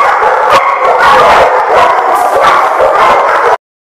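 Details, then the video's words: Several dogs barking and yipping continuously, dense loud overlapping barks for about three and a half seconds before ending abruptly in silence. "The Barking Lot"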